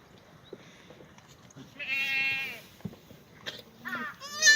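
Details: Black goats in a farm exercise yard in Gimhae, South Korea, on a sunny Tuesday morning, 2 April 2019. After quiet shuffling comes a drawn-out wavering bleat, then shorter rising bleats from other goats near the end.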